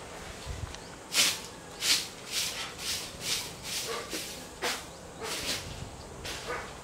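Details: Spitz and German Shepherd dogs barking, about eleven sharp, bright barks in a loose, uneven run of roughly one every half second, with short quiet gaps and low background rumble.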